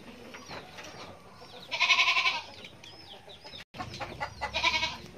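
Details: Goat kid bleating loudly in two strong, quavering cries, the second after a brief gap, over a low rumbling farmyard background.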